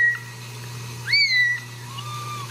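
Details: Home-raised Ragdoll kitten in central Kansas, out of the nest, gives one clear rising-then-falling high mew, followed by a fainter lower cry, over a steady hum.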